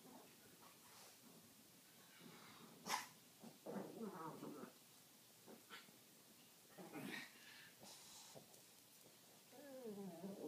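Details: Two Pekingese dogs playing together indoors, giving short harmonic growling grumbles in scattered bursts, with snorty breaths and louder rasping growls near the middle and end.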